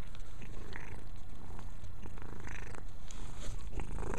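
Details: Mia, a pet cat, purring steadily while cleaning herself indoors; a continuous low rumble with soft scattered licking and rustling sounds above it.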